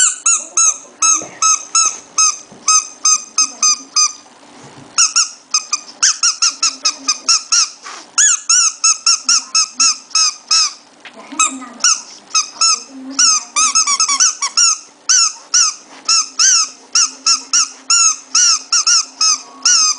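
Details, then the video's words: Shih Tzu puppy making a strange noise indoors: loud, high, thin squeaks repeated rapidly, several per second in uneven bursts, each bright and sharply pitched, continuing throughout. "puppy shih tzu kawneaw strange noise"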